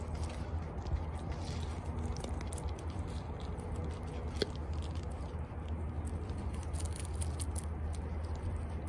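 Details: Two pet guinea pigs, Toffee and Chia, eating celery indoors, recorded close-up: a dense, continuous run of crisp crunching and biting clicks across the whole stretch over a steady low background hum.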